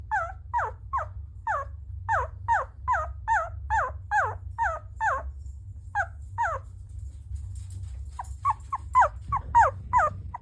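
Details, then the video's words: A sleeping puppy, apparently dreaming, makes a run of short high whimpers and yips, about two or three per second, each sliding down in pitch, with a pause before a louder final burst; a steady low hum runs underneath. "Have you ever heard a puppy make these noises while sleeping?"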